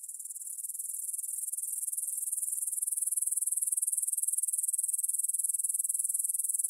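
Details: Evening meadow chorus of grasshoppers by the Svensky monastery field in Bryansk, Russia, 9pm, 6 September 2020, Tascam DR-44WL stereo: thin, very high buzzing trill of rapid pulses that swells gradually louder and steadier.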